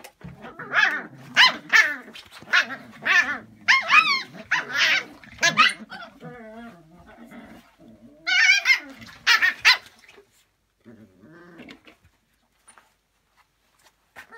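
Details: Two Lagotto Romagnolo dogs from a breeder, recorded 7 February 2017, give sharp, yelping barks in quick bursts mixed with low growls.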